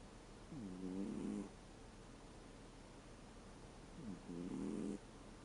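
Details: American Shorthair cat aged thirteen, asleep and snoring, the sound moving from 'gu' to 'pu'; two drawn-out, low, rattling harmonic breaths, each about a second long, spaced some three seconds apart in a quiet room.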